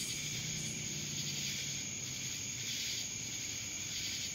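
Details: Cicadas in Dallas, Georgia: a steady, dense high-pitched buzzing drone with a sharp whining band, continuous with slight pulsing swells throughout.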